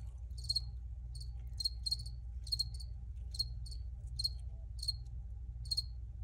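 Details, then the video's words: Crickets recorded outdoors, chirping in short high-pitched pulsed bursts that repeat irregularly about twice a second, over a steady low rumble of background noise. "Free Cricket Sounds"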